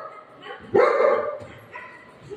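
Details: Golden Retriever dog, afraid of balloons, playing at home with its owner; one sharp, loud bark with a short ringing tail, then quieter trailing sounds, while people talk and call out excitedly around it.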